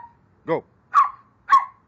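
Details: Playful barking from dogs Onyx and Moka during a game of catch me if you can: a voice calls out, then two short, sharp barks about half a second apart.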